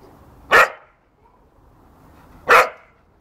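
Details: Working cocker spaniel, also called field spaniel, playing in a garden, gives two sharp, loud barks about two seconds apart, with quiet background between them.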